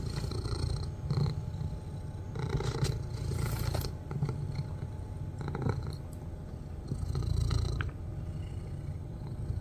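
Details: Cat purring loudly while watching its owner, a steady low rumbling throb that continues throughout, rising and falling slightly, with scattered clicks and rustling handling noises.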